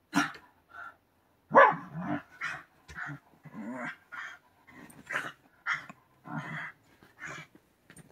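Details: White Shiba Inu digging into futon bedding indoors, voicing a run of short grumbling, bark-like bursts, roughly two per second, with pauses between them and a muffled rustle in the background.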